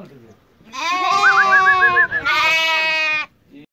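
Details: Turcana lamb near Easter, from a flock kept for sale: two strong, quavering bleats of about a second each, the first with a clear trembling wobble, separated by a brief gap, then quiet.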